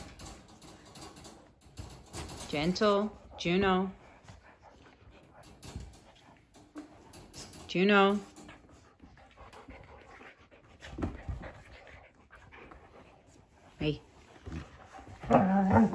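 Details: Siberian Husky puppy during play between the two puppies Juno and Echo indoors; drawn-out, sweeping, harmonic yowl-barks falling in pitch, three loud bursts spread across the clip, with a person talking and panting in between.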